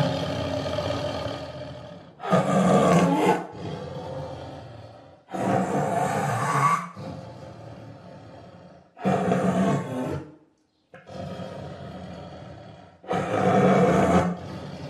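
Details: Five gravelly tiger roars, each lasting one to two seconds, separated by gaps of two to four seconds, with a low throaty hum between bursts and one brief moment of silence.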